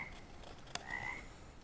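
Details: An unidentified frog or toad, species unknown to the recordist, gives a faint, tonal croak that swells briefly before fading, with one sharp tick just before it, against a soft steady hiss where bugs are also present.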